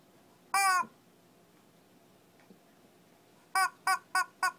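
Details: Shih Tzu in Kochi, Japan, during a mini fight: one sharp, harmonic-rich yap, a quiet pause, then four quick barks in a row at the end, indoors with little background noise.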